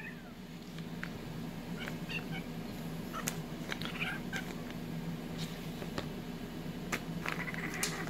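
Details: Bleu, an orange tabby kitten, keeps trying to steal boiled peanut shells; a few short, faint meows come through sharp cracking and clicking of shells over a steady low hum, with scattered sounds of people moving.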